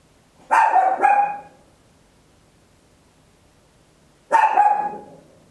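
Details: Papillon, a tiny dog at home, barks loudly: a quick double bark, a long silence, then another short bark burst near the end.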